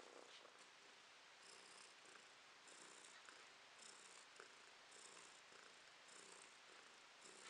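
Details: Domestic cat in May 2022, talking to its owner; a soft steady purr with regular breathy pulses roughly every 0.7 seconds, no meows heard, quiet indoor setting.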